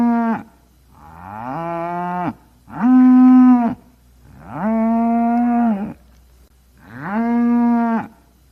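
A cow lows in a series of long, deep, harmonic moos, each a second or more.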